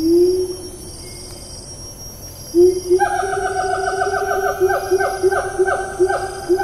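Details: Siamang calling in Taman Negara National Park rainforest, Malaysia, on 4 April 2019: two low rising hoots, then a rapid accelerating run of loud, harmonic-rich barking notes, with insects droning high in the background.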